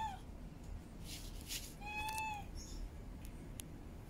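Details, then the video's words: Female cat in heat asking to mate gives one clear, level, drawn-out meow midway, after a brief cut-off meow at the start. Faint rustling and clicking sounds surround the calls. "SUARA KUCING BETINA BIRAHI - Suara Kucing Minta Kawin"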